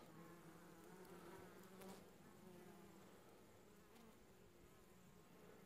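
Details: Honey bee foragers returning to the hive carrying pollen in winter, late July 2015: continuous low humming buzz from many bees with faint wavering harmonic drones and a few soft clicks.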